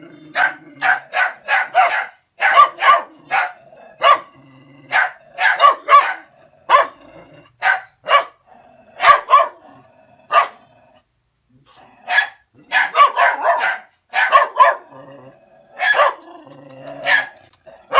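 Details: A dog, angered by a person coming onto its place, barks and backs off; sharp barks come in uneven runs, with a brief quiet gap near the middle and faint low rumbling between some barks.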